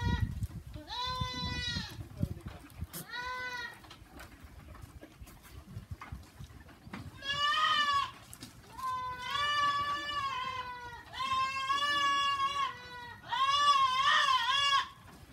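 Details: On a goat farm, several goats bleat repeatedly: two shorter calls early, then longer, quavering, strongly harmonic bleats coming close together toward the end, with some low rumbling noise at the start.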